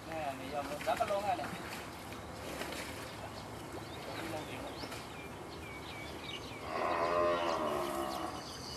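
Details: Frightened water buffalo herd at a slaughterhouse, one animal refusing to come down. Drawn-out harmonic lowing swells late in the recording, after a shorter bellow near the start, over steady background noise and faint talk.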